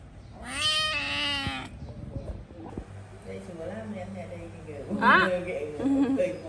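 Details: Housecat letting out one long, loud, strained wailing meow, then a shorter cry amid people talking and laughing nearby over a low hum.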